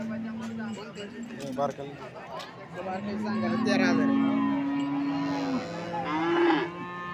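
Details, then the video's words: Cattle lowing at the Alephata cow market, 21 March 2024: a long, steady moo holding one pitch for over two seconds, with other moos overlapping around it, and buyers discussing offers and a calf's age in months. "आळेफाटा गाय बाजार दिनांक 21 मार्च 2024 Live"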